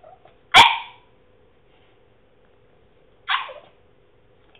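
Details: French Bulldog, male, trying to bark and making funny noises: a loud rasping bark, then a softer strangled yelp about three seconds later and the start of another, with a quiet hum underneath.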